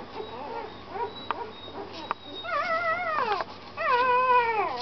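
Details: Puppy giving soft, short whimpers at first, then louder drawn-out wavering whines near the end, with a few faint clicks.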